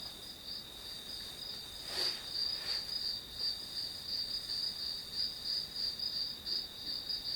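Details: Shrill, evenly pulsing trill of grass insects, close to three beats a second, with a brief rustle early on and a faint hiss underneath.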